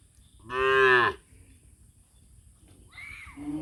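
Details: Cattle gathering together; a single strong moo of about half a second, rich and harmonic, then near silence before a faint higher bleat-like sound and a short low call at the end.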